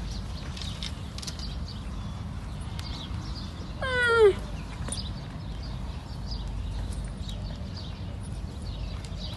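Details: Young camel giving its sad, distinctive cry: a single short wavering call that slides downward, rich in harmonics, rising once out of a steady low rumble of background noise.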